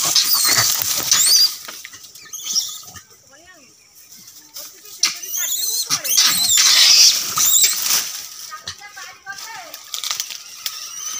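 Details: Monkeys, tagged as langurs, shriek and squeal in shrill, harsh bursts during a fight.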